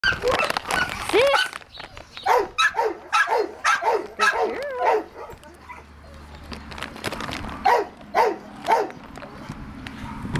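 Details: American Cocker Spaniel dog available for adoption, barking in a quick series of sharp, harmonic barks, a burst early on, then a pause of near quiet before a few more barks near the end.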